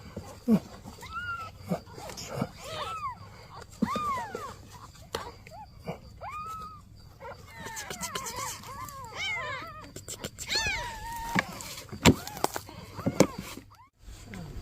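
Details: Newborn kittens and their mother cat, the mother asking for help: many high, arched, harmonic meows in quick, irregular series, denser and overlapping after eight seconds, with a faint murmur of voices and outdoor background.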